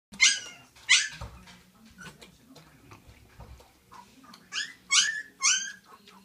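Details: Young Siberian Husky puppies with their mother, who is not letting them eat, indoors: sharp, high squealing whines in two bursts, two cries at the start and three close together near the end, with faint shuffling between.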